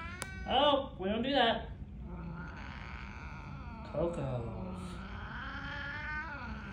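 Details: Coco, a Ragdoll cat in Arizona, sassing a visiting cat with two loud drawn-out wailing yowls, then a softer rising moan, while a woman scolds gently over the cats.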